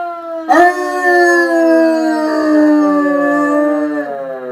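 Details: A pet Weimaraner howls at fire truck sirens: one long, sustained, mournful howl that starts abruptly, then slowly sinks in pitch over about four seconds with rich, steady harmonics and no other clear sounds.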